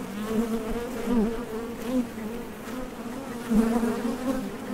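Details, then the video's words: Steady droning hum of honey bees recorded directly at a Top Bar Hive entrance while foragers come and go for nectar, with brief louder surges as individual bees fly close. "HONEY BEES Sound Effect #MasonJar | BEES BUZZING"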